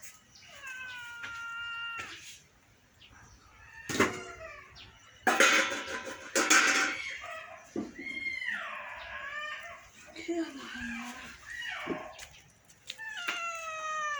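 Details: A domestic cat meowing in a series of drawn-out, wavering cries with rich harmonics, some rising and falling, repeated several times amid loud rustling and clattering bursts and a person's voice.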